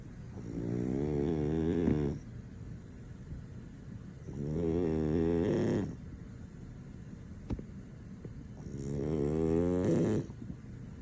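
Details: French Bulldog snoring deeply while asleep, too sound asleep to wake; three rasping, buzzy snores, each about two seconds long, come at roughly four-second intervals with quiet breathing between.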